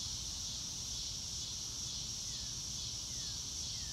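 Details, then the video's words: A continuous high insect shimmer from crickets in open grassland, steady and unbroken, with a few faint descending whistled notes near the end and soft low rustling below. "Nature Sounds - Real Time - No Music - Meditation - Crickets"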